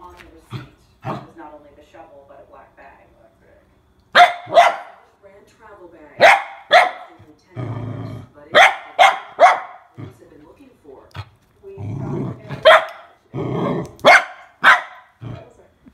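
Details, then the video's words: A nervous mini Goldendoodle puppy, scared of a water bottle, gives loud sharp barks in irregular bursts, some in quick pairs, between low growling and a person speaking. "GOLDENDOODLE PUPPY SCARED OF WATER BOTTLE"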